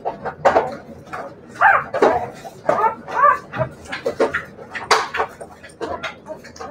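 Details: Siberian Husky puppies make short rising and falling whines and squeaky yelps, one after another at an uneven pace, with scuffling and clattering noises in between.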